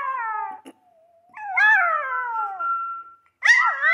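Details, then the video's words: Little pet dog 'singing' along to the Show da Fé opening music, giving drawn-out, richly harmonic howls that waver and slowly descend, separated by short gaps, with a brief new howl starting at the end. "cachorrinho gosta da música de abertura do Show da Fé (e ainda "canta" junto rsrs)"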